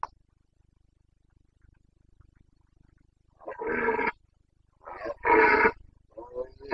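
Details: Roaring of a Carpathian stag, boncănit, in Bucovina's mountain forests during the breeding season, 29 September 2022: three seconds of near silence, then three rough, throaty roars in quick succession, the middle one loudest.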